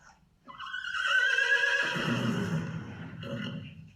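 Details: A domestic horse whinnies, a high shrill cry breaking into a lower, shaking nicker, a very high-pitched call from a large animal that involves biphonation.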